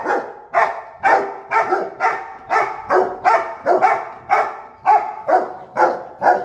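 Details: Pet Rottweiler guarding, barking in alert as if someone were at the door; rapid series of about thirteen throaty barks over six and a half seconds, evenly paced near two each second.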